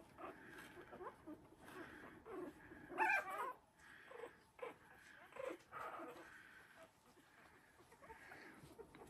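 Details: Havanese puppies of the January Storm litter, three weeks old, wrestling and playing in their newly expanded whelping box; soft whimpers and small growls rise and fall, with a woman talking to them.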